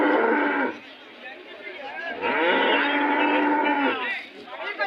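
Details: At the Kg Temple cattle fair, held every Monday in Gubbi taluk, Tumkur district, Karnataka, a cow gives a long, steady moo lasting over a second. Men's voices haggling over prices sound before and after it.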